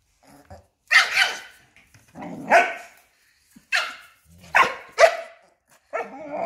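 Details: Fearless little Papillon confronting and cornering a Belgian Malinois. A string of about six loud, harsh barks, one rougher and growly, follows in uneven rhythm, roughly one per second.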